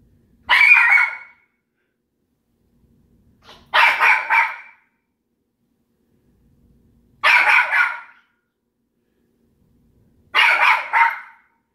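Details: Pet dog Petunia barks at another pet named Daisy inside the home, giving four loud, rough barks spaced roughly three seconds apart, each a short doubled burst, with quiet gaps and no other voices between.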